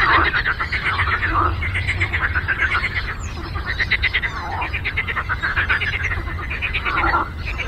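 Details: Frogs on a lake croak in a dense chorus of rapid, rattling pulse trains that overlap without pause.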